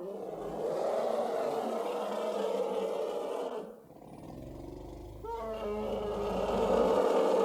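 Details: Elephant calling: a rough, harsh roar with a dip into near quiet, then a wavering brassy cry with stacked harmonics that slides into a renewed noisy bellow.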